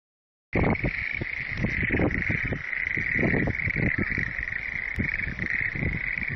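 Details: Frog chorus starting abruptly after half a second of silence: a dense, continuous mid-pitched trilling wall of many callers, overlaid by irregular low, broadband thumping pulses throughout.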